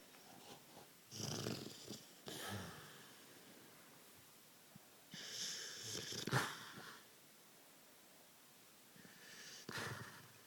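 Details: Dog snoring in deep sleep at midnight while making odd mouth movements; three broad, breathy snore bursts roughly four seconds apart, each a rasping drawn-in breath with a sharp snort in the middle one, quiet between.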